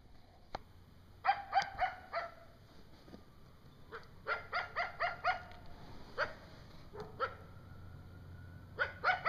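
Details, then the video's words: A coyote in the woods in the middle of the night gives bursts of sharp, high yips and barks with a thin drawn-out whine; a young coyote seemingly with it whimpers while the adult howls. "Coyote Howling in the night"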